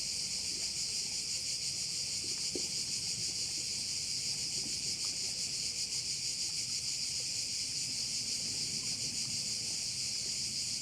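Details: A steady insect wall of sound from crickets at a Korčula bay in Croatia: dense, piercing, high buzzing with gentle rhythmic throbbing, and faint low outdoor rumble beneath.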